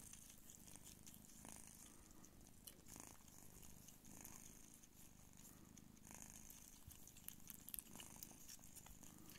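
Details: Low, pulsing purr from Pūkė Chalisa, a Don Sphynx mother cat nursing her kittens indoors, steady for the whole stretch, with scattered soft taps and rustling movement sounds on top.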